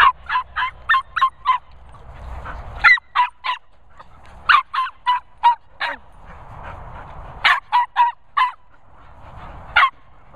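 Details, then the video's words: Noisy Nala, a Border Terrier, barking while meeting Cocker Spaniels Finlay and Murphy: rapid runs of three to six sharp, loud barks, separated by short pauses, continuing for about ten seconds. "Border Terrier Noisy Nala meets Cocker Spaniels Finlay & Murphy."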